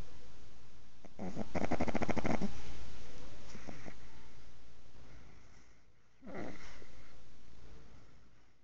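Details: Six-month-old pug sleeping, snoring with a long rough rattling breath, then softer wheezy sounds and a shorter snort later, against a low indoor hum.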